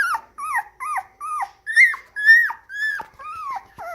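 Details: Parti-coloured black and white moyen poodle puppy, born 16 January 2019, whining in clear separate cries, each a short bent note sliding down, about ten in four seconds, loud and close.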